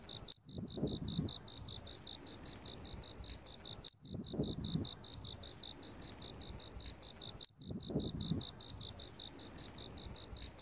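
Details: A cricket chirps in steady, rapid pulses on one high, bright pitch, with a low rumble beneath, in autumn.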